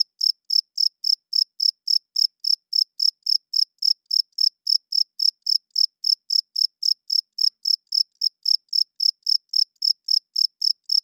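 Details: Night-time cricket giving a steady, metronome-like run of shrill high chirps, roughly four per second, evenly spaced and unbroken, against complete quiet.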